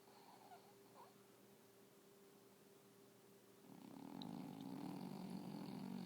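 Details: Snoring English bulldog: a faint, quiet start, then from midway a steady, low, raspy rumble that swells and grows louder toward the end.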